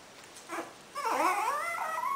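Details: A five-month-old Pomeranian, asked in Italian whether it wants to eat, answers with a short yip and then a drawn-out, wavering whine, as if saying yes.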